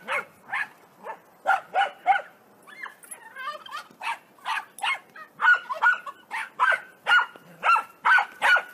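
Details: Corgi barking in bursts of short, bright yaps, nearly twenty across the stretch, with a brief looser yelping passage midway before steady barking resumes.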